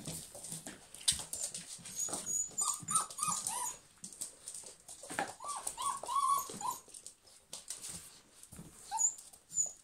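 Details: German Pinschers in a group, giving clusters of thin, wavering whines and yips that come in bursts with short pauses, over clicking and scuffling noise.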